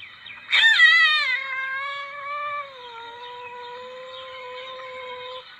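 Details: Lure recording of a palm civet: a sudden harsh, wavering cry that eases into a long, level, drawn-out whine lasting several seconds, with a quiet background.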